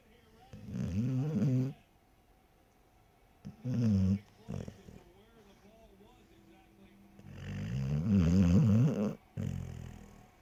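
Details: Dog lying in bed snoring loudly: three long, deep, raspy snore bursts of one to two seconds, separated by quiet gaps, with a faint smaller snuffle between them.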